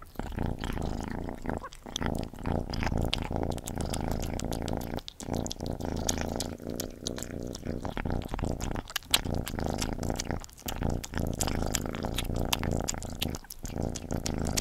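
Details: Cat named Gordy eating, a steady low rumbling purr running beneath wet, irregular chewing and lapping clicks, with a few brief pauses.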